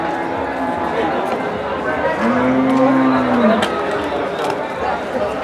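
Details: Limousin cattle, described as among the largest, at Kunden livestock market in Wirosari, Central Java: one long, low, arching moo swelling and fading over about a second, set against steady crowd chatter and market noise.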